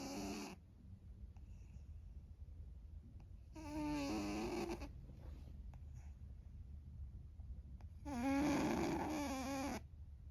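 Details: Pet cat named An, long known as a loud snorer, asleep and snoring: three harsh broadband snore bursts, each lasting a second or more, with wavering tonal bands, separated by quiet breathing gaps.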